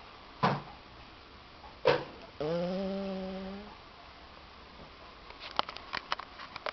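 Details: Lady Laura, a tired pet Cocker Spaniel, sleeping indoors and giving one drawn-out harmonic snore lasting over a second, preceded by two sharp knocks and followed by faint clicking and rustling.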